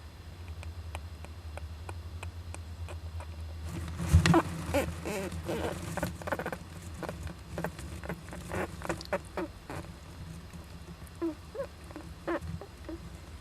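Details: Young Japanese giant flying squirrel inside an owl nest box, 19 July 2010, sneezing; short sharp broadband bursts and scratchy clicks come in irregular clusters, loudest near the fourth second, over a steady low electrical hum.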